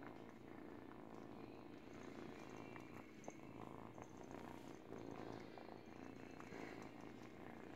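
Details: A young kitten, eight weeks old, purrs steadily while gnawing a baby blanket during teething; the deep pulsing purr carries the whole stretch, with light fabric rustle and occasional ticks.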